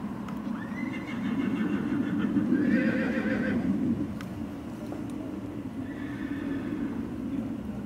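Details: Colt foal sired by Zirocco Blue, dam line Clarimo and Cesano II, shown and awarded a plaque at a foal presentation; a loud, harmonic whinny swells over the first four seconds, a softer second whinny follows near the end, with hoof clops and murmuring background.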